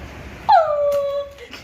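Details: Female pet dog whimpering over a new toy that spins round and round and lights up. One loud, clear whine slides down from a high start to a steady, level tone for about a second. Indoors, with quiet noise around it.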